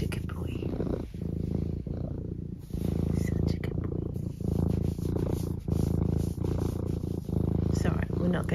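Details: Pet cat Eric purrs indoors on a Sunday morning while being spoken to affectionately: a continuous deep, throbbing rumble broken into pulses of about a second each, soft human voice over it.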